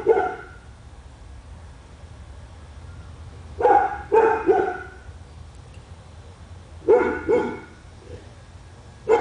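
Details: Pet dog on Spruce Street in Royse City, Texas, one of a household's dogs said to bark for hours a day, giving loud harsh barks in single and double bursts a few seconds apart, with quiet low hum between.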